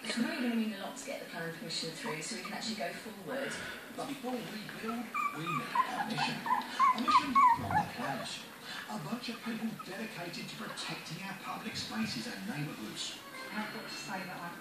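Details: Four 25-day-old Bichon Yorkie puppies, a Yorkshire Terrier and Bichon Frise cross, starting to play fight; a run of thin, wavering, high whining yelps in the middle amid constant scuffling and squeaks, with a person speaking nearby.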